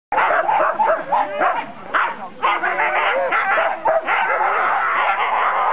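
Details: Siberian Huskies of a four-dog sled team at the start of the 4 dog class, 2008 NSW Siberian Husky Club Sled Dog Shield, Grabine Lakeside Park; dense overlapping excited barks and high yips from several dogs, with voices mixed in.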